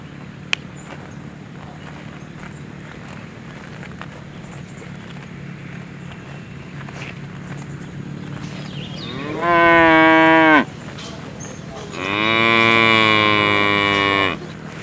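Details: Cow lowing after a long stretch of quiet low rural hum, then two drawn-out tonal moos near the end, the first about a second long and the second longer and louder, spaced about a second apart.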